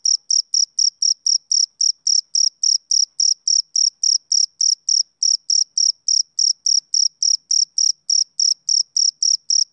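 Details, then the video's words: Chirping of a male cricket: sharp, piercing high pulses about 3.5 per second in a steady rhythm with tiny gaps now and then, about thirty-five in under ten seconds. No other noise. "Cricket Chirping Sound Effect"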